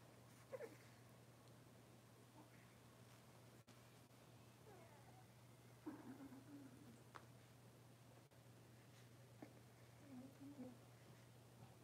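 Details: Six-week-old Cavalier King Charles Spaniel puppies in a puppy pen, being dewormed and having toenails trimmed; faint, short, high whining squeals near six and again near ten and a half seconds over a steady low electrical hum.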